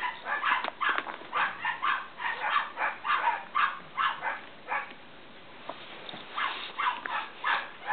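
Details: Several Cavalier King Charles Spaniel puppies from Danny and Daisy whine in rapid, thin squeaks, then fall briefly quiet before the high, overlapping whimpering picks up again.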